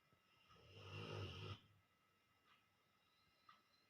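A Rottweiler gives one long, low, rattling snore, followed by quiet breathing.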